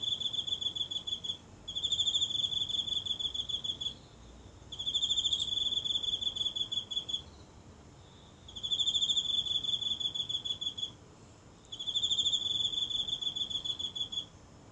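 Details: Night recording, phone held close, of one insect calling from grass in a small home garden: four high, ringing, pulsed trill bouts of roughly two to three seconds, each followed by a brief pause, in still surroundings.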